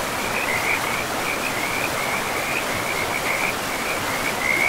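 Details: Near a forest river, frogs keep up a steady string of high, slightly wavering trills with little pause, set against an even wash of running water.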